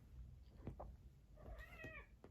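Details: Domestic cat indoors at home in the morning giving a short drawn-out meow that rises and then falls, with low household rumble and a woman's voice talking before and after.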